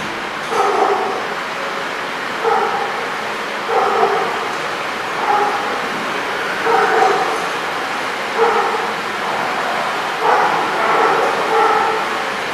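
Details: Dogs at The Barking Lot, recorded 4/22/16, giving repeated barks roughly every one and a half to two seconds, mid-pitched with a steady background hiss.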